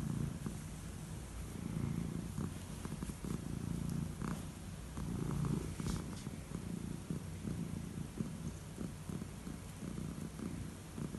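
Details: Elderly calico cat receiving head strokes at bedtime, purring in a continuous low, throbbing rumble with faint rustling from the stroking.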